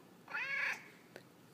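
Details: Single short, bright meow from a chatty male pet cat answering its owner's questions, followed by a soft click.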